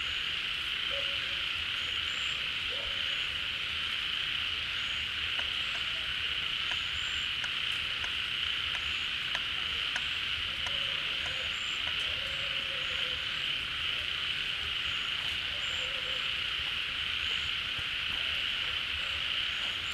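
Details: Frogs crowding a pond as it fills with rain, calling noisily together; a continuous shrill wall of sound holds for the whole stretch, with short faint whistles and soft lower chirps appearing now and then.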